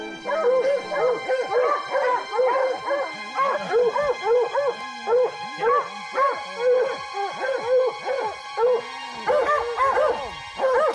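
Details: Hunting hounds baying at a mountain lion treed in the northern Rocky Mountains of British Columbia: loud, repeated bawling bays with rising and falling arcs, several dogs overlapping almost continuously, with steady music underneath.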